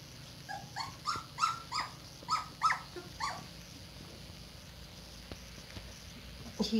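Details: Two-week-old red Standard Poodle pups in a whelping box, eyes just starting to open: a run of about eight short squeaky yelps, roughly three a second, then quiet with a faint squeak at the end.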